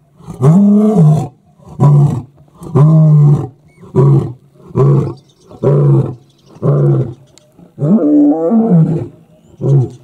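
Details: A wild male lion on safari roars after walking down a road and stopping beside a vehicle. He gives a series of deep, grunting roars in regular bursts about one second apart, nine in all, loud and close, with no other sounds.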